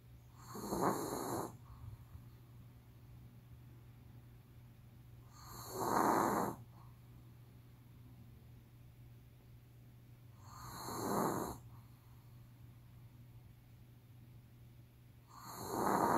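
A Pomeranian snores steadily as it sleeps, each breath a soft, raspy rumble lasting about a second. The snores repeat every five seconds or so over a faint constant hum.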